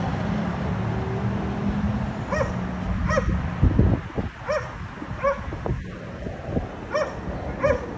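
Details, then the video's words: Barking dogs at a condominium, a daily disturbance for the neighbours occurring three times a day: a series of clipped, repeated barks about once a second, following a low engine-like drone and some thumping. "Disturbing noise by Dogs barking"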